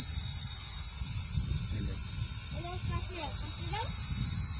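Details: Cricket calling from a palm frond while people try to chase it off with a stick, a shrill continuous trill over voices talking nearby.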